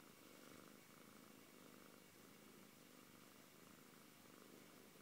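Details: Siberian cat called Antey giving a steady rhythmic purr, low vibrating rumble rising and falling with its breathing, close and clear.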